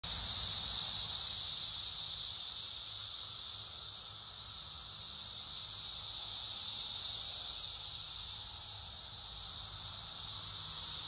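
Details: Brood X periodical cicadas massed in a backyard pear tree, described as registering 113 decibels: a dense, steady high-pitched whine fills the air without a break, swelling and easing slightly in loudness across the stretch.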